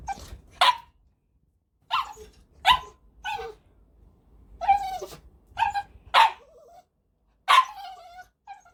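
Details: Male Cavalier King Charles Spaniel, a household pet born May 2019, giving a run of about eight irregular barks, some short and clipped and others drawn out and whiny, with soft low rumbling between.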